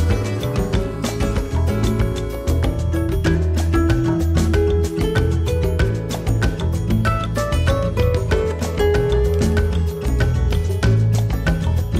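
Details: Loud, upbeat party music with a strong bass beat runs throughout, and no animal voices stand out.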